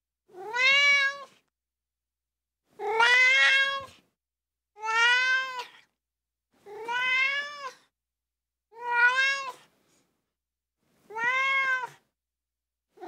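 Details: Seven insistent meows from a ginger tabby kitten crying, each short wail rising and then flattening, evenly spaced about every two seconds, clean and close with nothing else audible.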